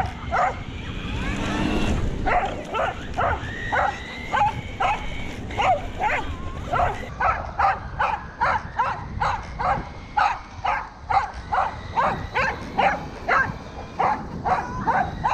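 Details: Roku the corgi barks as he pursues an RC delivery car with its tail removed, recorded 13 February 2021; a long run of rapid, regular barks, loosening into a tight steady series after the seventh second, with a whining motor tone.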